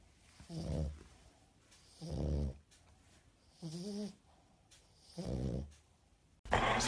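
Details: French Bulldog puppy indoors, giving four short, rough, low snorting grunts about every one and a half seconds, one with a brief whiny tone, followed by a sudden loud noisy burst at the end.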